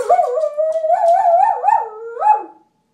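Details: Pet dog answering when asked whether it wants to go out, with a sustained wavering howl-like vocalization that rises and dips in pitch for about two and a half seconds, ending in a final upward swoop.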